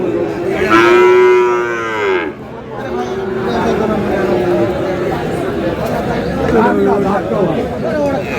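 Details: Friesian and crossbred bull calves at Aftabganj market, Dinajpur, Bangladesh. One loud, harmonic moo of about a second stands out at the start, then faint lowing continues beneath constant crowd talk and bargaining.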